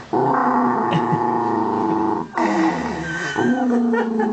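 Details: A Miniature Dachshund growls angrily while guarding a pig's ear, a low, steady, rumbling snarl with a brief pause midway.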